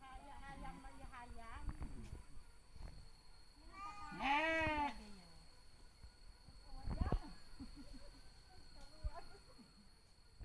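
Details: Sheep mating in the village of Kampung Sirna Rasa, Indonesia; a loud, quavering bleat arcs up and down near the middle, with shorter cries and voices earlier, thumps and handling noise later, and a constant high-pitched hum.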